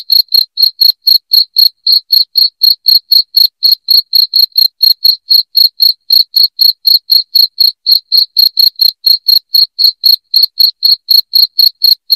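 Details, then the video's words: Continuous loud cricket song for repelling rats: a steady train of piercing, high-pitched chirps, about four each second, unbroken and clean, with no other sound. "SUARA JANGKRIK NYARING PENGUSIR TIKUS"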